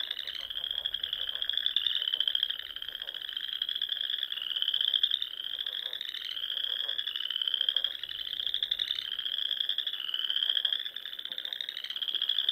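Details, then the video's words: Frogs singing at dusk in spring among small lakes and ponds of the rolling Sandhills dunes, Nebraska; a dense, continuous chorus of pulsed, rasping trills near 3–4k, overlapping callers rising and falling in waves every second or two. "RELAXING SOUNDS OF FROGS"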